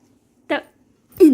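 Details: A dog named Ammu cries out at the sound of rice cooking: one short harsh bark, a brief pause, then a louder yelp that slides downward in pitch. The background is otherwise quiet.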